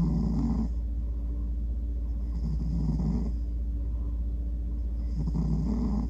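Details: Sleeping house cat, male, snoring and dreaming, his snores likened to a tiny trumpet; three raspy, low breathy snores roughly every two seconds, each with a soft nasal toot, against a constant low background hum.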